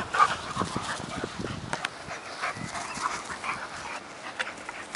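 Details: Two dogs, a 10-month-old Working Mastiff pup named Nobi and an 8-year-old bull terrier named Tasha, fight over a stick. Soft, scattered growls and brief yips sit under a low steady background.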